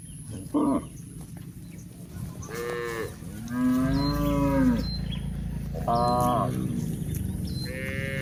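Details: Several cows walking on a hill give repeated moos: a short bleat-like call, then long, wavering moos overlapping one another, with faint high ticks and steady low rumble beneath.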